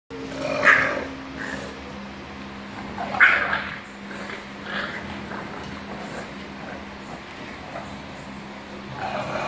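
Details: Mother bulldog playing with her puppy, which wants her to play; a few short, harsh bark-like bursts spaced a couple of seconds apart, loudest near the start, over a steady low mechanical hum.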